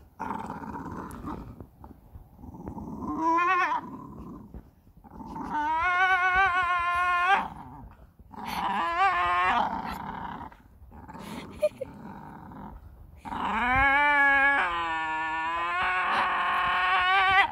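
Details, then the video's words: A Staffordshire Bull Terrier screams in loud, harmonic, wavering bursts with pitch bending up and down, sounding like a goat. "screaming Staffordshire bull terrier"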